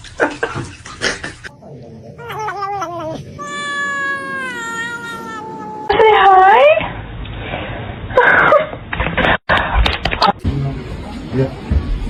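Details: Domestic cat producing a long, slowly falling, yowling meow after shorter chirpy calls, then a rougher wail, with laughter, voices and bumping sounds in a small room.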